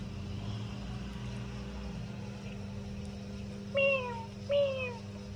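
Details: A cat meows twice while eating, each a bright harmonic call that rises slightly then falls, about 0.7 seconds apart near the end, over a constant low mechanical hum.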